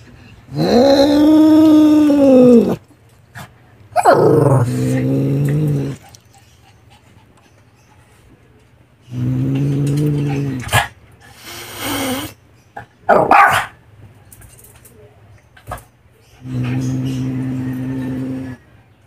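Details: Siamese cat named Meo, very angry and hissing toward a dog: long arched moaning growl-yowls that swell and fade, broken by short harsh hissing spits, then a steady low growl near the end.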